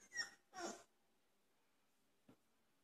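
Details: Dogue de Bordeaux puppies, 27 days old, during play: two short high whining yelps in quick succession, then a faint brief sound, in an otherwise quiet room.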